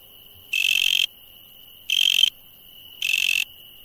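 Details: Insects at night: a steady high-pitched whine runs throughout, broken by three loud, harsh buzzy bursts, each about half a second long and spaced a little over a second apart.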